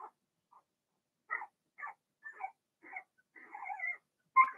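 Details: Blenheim Cavalier King Charles Spaniel puppies from Remy's first litter of six, indoors in a puppy pen: short high whimpers and squeaks in separate bursts, ending in a longer wavering whine and a louder yelp.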